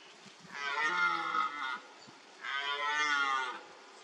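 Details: Red deer stag in a wallow during the rut, marking the spot with urine-soaked mud; two bellowing roars, each about a second long, harmonic and harsh, separated by a short pause.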